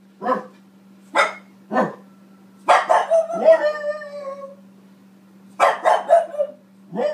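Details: French Bulldog Boston Terrier female barking at herself on a TV screen. Single sharp barks come spaced about a second apart, then bursts of quick barks trailing into whiny, howl-like tones, with a constant low electrical hum beneath.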